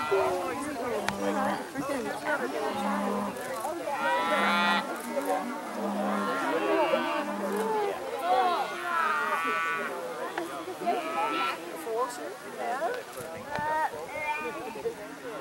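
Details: Dairy cattle on Roaming Valley Farm's Dancing Cow Day, turned out on pasture for the first time this spring, running and jumping: many overlapping loud, drawn-out moos in rich harmonic stacks, some rising, with human voices behind and a low tone pulsing roughly every second.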